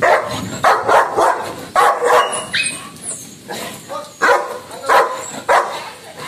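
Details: Angry pet Labrador named Lucky barking repeatedly in loud, rough bursts, about ten barks roughly every half second with uneven pauses, a few softer yelps between, and laughter heard nearby.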